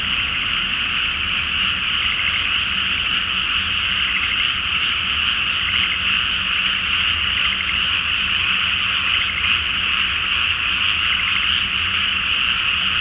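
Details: Many frogs calling together at night over a flooded paddy awaiting rice planting under a full moon in Japan; unbroken trilling chorus, thick and steady throughout, brief higher chirps scattered above.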